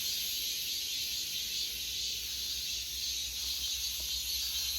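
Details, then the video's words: Cicadas singing in an August forest: a dense, unbroken, shrill buzzing chorus holds steady throughout, with a fainter higher hiss above it and a soft low rumble underneath. "August Forest Full of Cicada Sounds 매미 소리 가득한 8월의 숲"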